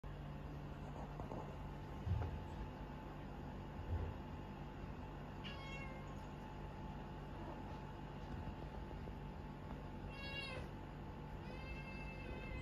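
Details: Indoor cat room with a mother cat and her kittens during weaning; kittens try to nurse while she kicks them or nips their necks. About three brief, faint, high harmonic meows, some slightly wavering, over a steady low hum.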